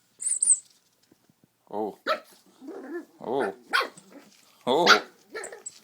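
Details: Pug puppy playing with a squeaky toy indoors: a shrill toy squeak opens, then a run of short, wavering yips and little barks, several in quick succession, with a person talking softly in between.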